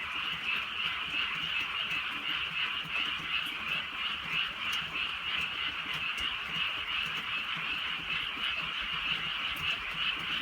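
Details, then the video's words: Countryside frog chorus at night during light rain: steady, thick layers of fast, pulsing trills from many frogs, with faint raindrop clicks. "개구리 소리"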